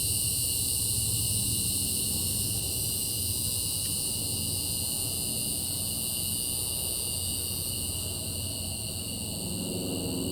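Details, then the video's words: Cicadas calling at night: a steady, unbroken high-pitched drone made of several layered shrill bands that hold constant throughout, over a soft low outdoor rumble. "Night Sky And Cicadas"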